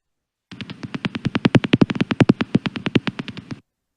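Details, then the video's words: Common pipistrelle echolocation from a bat detector recording, played back in a webinar on British bats, described as irregular smacks: about thirty dry clicks in three seconds, unevenly spaced and swelling louder midway, then stopping abruptly. "So first, I think it's going to be the common pipistrelle, which sounds like irregular kind of smacks."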